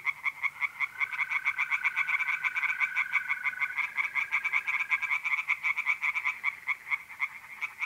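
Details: Tree frogs singing at night from a pond in mid-April in north-east Italy, a dense chorus of fast rattling pulses repeated steadily, while a mole cricket holds an even, unbroken trill underneath for several seconds.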